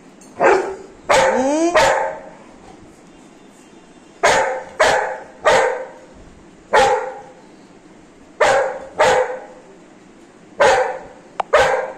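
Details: A happy Golden Retriever just after a bath barks loudly and repeatedly, single sharp barks and pairs spaced one to two seconds apart, with one rising whiny yelp early on; a person speaks Bengali briefly before.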